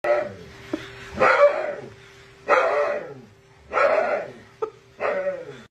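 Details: Husky at the vet, acting like a big wimp; four drawn-out, wavering howling cries about every 1.3 seconds, each starting loud and falling in pitch, with short yelps between and a steady faint hum indoors.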